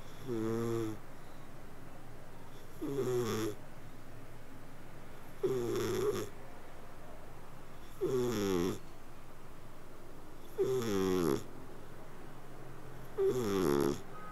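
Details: Sleeping house cat giving a steady purr-like snore, six low rumbling harmonic bursts spaced roughly every two and a half seconds, each breath slightly wavering, in a quiet room.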